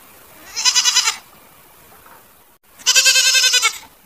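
A goat gives two loud, wavering bleats with a quavering, tremulous tone.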